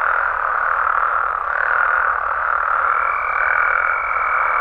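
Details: Nighttime calling of Mexican frogs and toads in their native habitat: a dense, continuous croaking chorus, with a steady high-pitched tone entering after about three seconds and continuing to the end.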